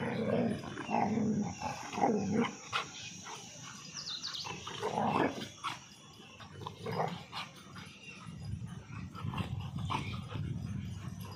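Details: Angry dogs clashing, a German Shepherd against two Labradors: low rumbling growls swell and fade in waves, broken by harsh snarls and a few brief high yelps.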